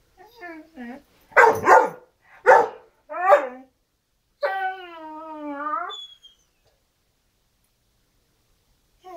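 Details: Great Dane named Janet calling indoors, wanting to play: a few short yips, two loud sharp barks, then a long drawn-out whining howl that wavers and slowly falls; a person talks in Dutch and English around her.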